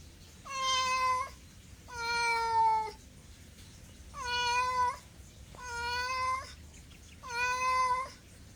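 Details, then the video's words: Cat meowing five times at a steady pace, roughly every one and a half seconds, each meow long, even and harmonic-rich with a flat pitch, against a quiet background. "MEOWING MEOWING - CAT CUTES - CAT FUNNY - SOUND CAT - MEOW CAT"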